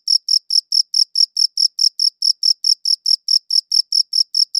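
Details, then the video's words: Cricket chirping, recorded in high quality on a good audio recorder: a steady train of short, high-pitched pulsed chirps, about four or five a second, each a clean bright trill with an upper overtone, against complete silence. "Cricket Chirping Sounds"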